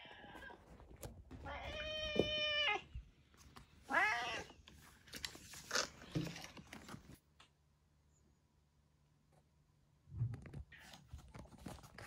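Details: Retired neighbourhood boss cat Kuro, known as Yongo and kept indoors in end-of-life care, gives a drawn-out strained yowl, then a shorter falling meow, followed by quiet rustling and soft thumps.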